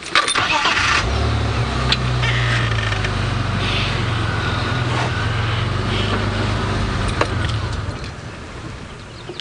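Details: A vehicle engine rumbles loudly and steadily on a safari drive, with faint knocks and no animal voices.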